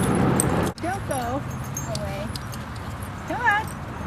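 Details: A dog playing at Seal Point Dog Park on the western side of San Francisco Bay, February 10, 2015, gives a few short high whining yelps with wavering pitch after a brief burst of human voice, over outdoor background rumble.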